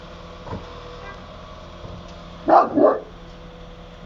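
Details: Akbash dog Barry in Italy lets out a quick pair of gruff barks after a quiet stretch, with a faint low thump before them and a steady hum underneath.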